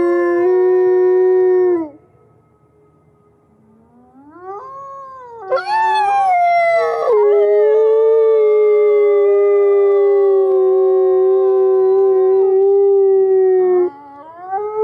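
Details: Captive-born gray wolves Alawa and Nikai at the Wolf Conservation Center, South Salem, New York, howling together to reaffirm social bonds: long steady tones, a pause, then a sharp rising wail that settles into one sustained level howl.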